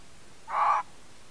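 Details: A red fox (Vulpes vulpes) gives a single short, harsh bark-like call, recorded by a camera trap in the Colli Euganei Regional Park, Italy.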